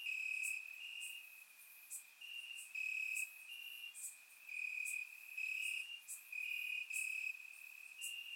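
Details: Crickets in grass at night during a warm Bulgarian summer: high continuous trilling with quick alternating louder chirp bursts from several insects, bright clicking accents above.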